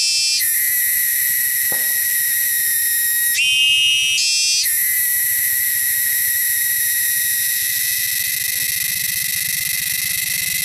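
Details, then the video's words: Shrill wild cicadas in the wilderness sustain a loud, dense buzzing drone; a second, differently pitched buzzer briefly takes over midway before the steady chorus resumes. "cicadas sound"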